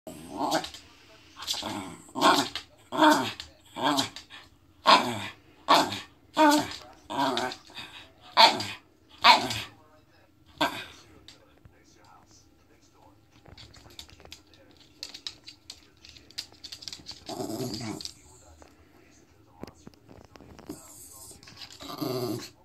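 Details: Male Norfolk Terrier doing an excited pre-eating 'dance' before crunching a bone, showing satisfaction: about a dozen short, rough grunting growls roughly once a second for ten seconds, then quieter scattered noises and a few later bursts.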